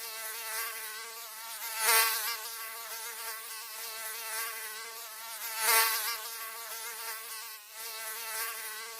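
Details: Mosquito in flight, a continuous thin whining buzz with a wavering pitch and a stack of overtones, swelling louder twice as it passes close, then fading back to a steady drone.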